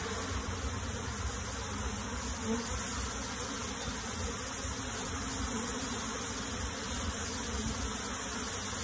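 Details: Colony of honey bees transferred into a box, a loud uniform droning buzz without pause, rich in low tones, filling the recording.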